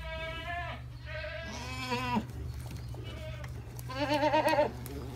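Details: Alpine goat giving birth to triplet kids: a series of drawn-out, strongly harmonic bleats, some wavering and rising at the end, separated by short pauses over a steady low hum.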